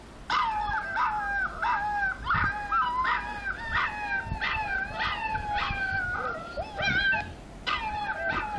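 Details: Several puppies howl together, overlapping high wavering tones that rise and fall in repeated short bursts about once a second, with faint yips between.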